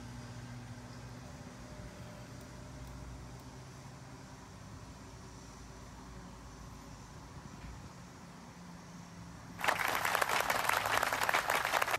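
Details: A steady vehicle-like hum gives way to a loud, dense hiss of rapid crackling from about ten seconds on; no animal sound is heard.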